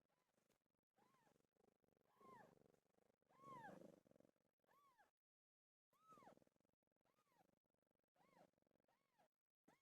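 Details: Domestic cat Pilo around the time she gave birth, giving a series of arched, rising-then-falling meows about every second, with quieter gaps and a short silence midway.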